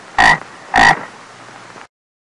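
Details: A small frog gives two short, loud, raspy croaks about half a second apart, then quiet hiss only.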